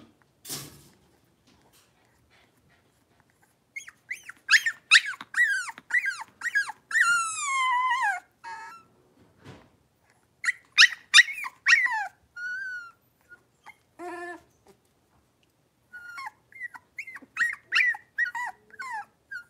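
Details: A group of five young blenheim Cavalier King Charles Spaniel puppies, born around New Year's, give high, squeaky yips and drawn-out whimpers in uneven bursts while wrestling and barking in their puppy pen.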